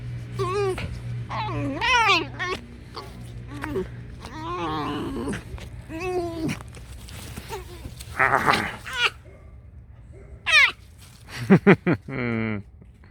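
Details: A pet fox called Alice keeps up a run of wobbling, whiny squeaks and yips. Short chirps and a harsh burst mix in, over a low steady indoor hum.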